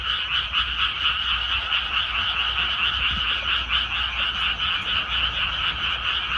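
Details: Frogs in newly planted rice paddies, their chorus swelling in slower regular pulses roughly twice a second over continuous rapid croaking, with a low background drone.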